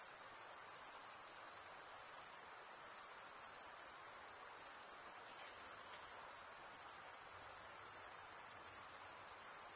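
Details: Dense cricket chorus of wing stridulation, an even, shrill, very high continuous trill lasting nearly ten seconds with small swells in loudness, plus a faint low murmur near the end.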